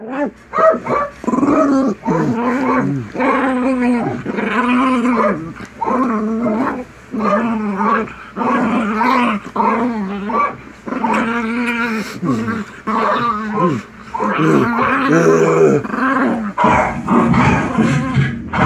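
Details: Drawn-out, wavering howl-like growls repeated in long bursts, as pet dog Buster reacts to barking dogs on a TV, the sounds rising and falling in pitch with short breaks between.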